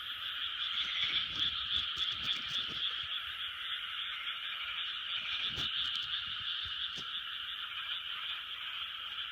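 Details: Large frog chorus from 2020, countless overlapping croaks merging into a constant high-pitched drone, with scattered faint clicks and taps in the background.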